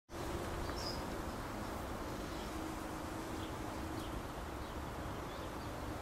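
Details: Bees swarming around a bougainvillea in a backyard, recorded close-up on 21 May 2010: a steady, dense humming drone with a faint low tone running throughout, over broad hissing background noise.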